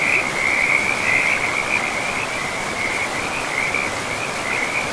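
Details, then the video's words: Forest river frogs in moss-covered woodland call in a dense, unbroken high trill, loudest in the first second and then steadily fluttering, with the soft hiss of the flowing river underneath. "River and Frogs sleep sounds"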